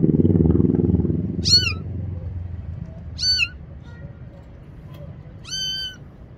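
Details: Kitten afraid of the bathroom calls for help with three clear, high, harmonic meows about two seconds apart, after a brief burst of low rumbling noise at the start.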